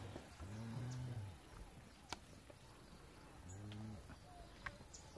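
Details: Month-old calves in the Salvadoran countryside: two short, low moos about three seconds apart, each swelling and then sliding down, over a quiet outdoor background with faint clicks.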